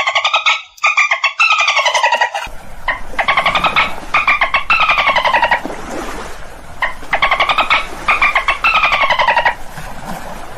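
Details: Dolphins giving repeated bursts of rapid, creaky pulses with falling tones, the later bursts over a steady background hiss and rumble.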